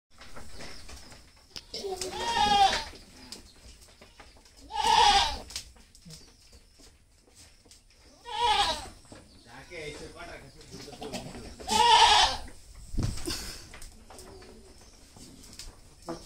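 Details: Native goat, a doe kept with her two kids on a farm in Zia Nagar, Dhaka, Bangladesh; four quavering, wavering bleats spaced roughly three seconds apart, with quiet background murmur between them.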